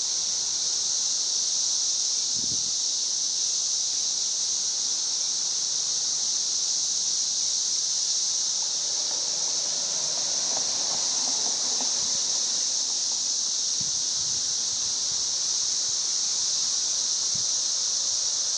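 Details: Missouri 13-year cicadas recorded near a home on May 29, 2011, their song forming a constant shrill wall of sound, with a faint murmur of lower sounds rising and fading near the middle and a single thump early on.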